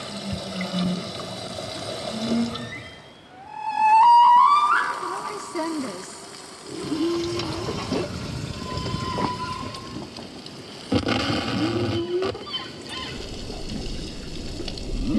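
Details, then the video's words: Humpback whale song, recorded underwater in the South Pacific, heard through the boat near a whale, with rising whoops and drawn-out moans under speech; several different songs are sung this season, changing each year. "D'ailleurs, quand on se trouve auprès d'une baleine, on l'entend souvent chanter dans tout le bateau."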